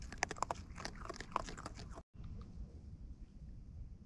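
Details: Wild raccoons eating close up, with quick crunchy chewing clicks packed into the first two seconds, then a brief gap and softer, sparser munching over a low rural background.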